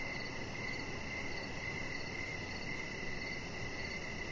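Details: Crickets heard in the evening from a backyard deck shared with a resting chihuahua puppy; thin, high chirping runs almost continuously, softer and less distinct, set over steady low background noise.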